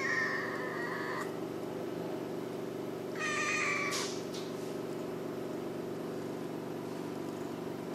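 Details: Sietong, a pet cat, gives two drawn-out meows: a level, steady one at the start, then a shorter, brighter one a few seconds later, over a constant low indoor hum.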